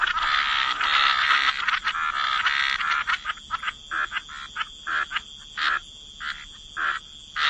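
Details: Wetland frog chorus at the waterside, opening as a dense overlapping wall of croaks that thins into separate short raspy croaks spaced about half a second apart, over a faint constant high-pitched hum.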